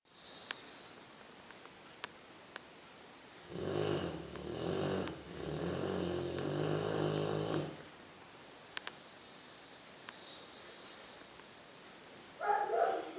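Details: A very old, almost completely deaf boxer, deeply asleep indoors late at night, snoring: a low, rumbling, pulsing snore swells for about four seconds mid-clip, set in a quiet room with a few faint clicks and a brief higher sound at the end.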